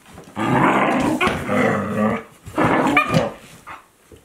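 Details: Two Akitas at play, a 14-month-old and a 2-month-old puppy, growl and grumble in two rough, rolling bursts.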